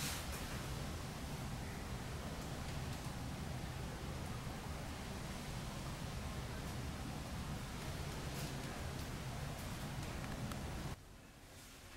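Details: Even broadband hiss with faint rustles runs throughout, then drops to a quieter hum near the end.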